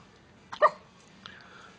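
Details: Miniature Pinscher called Pepper, described as angry, produces a quick double bark, a small yelp then a stronger one, with a faint later sound indoors.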